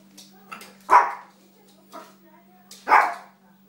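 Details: Little dog playing and training: two short, sharp yaps about two seconds apart, with softer yips between them and a steady low hum underneath.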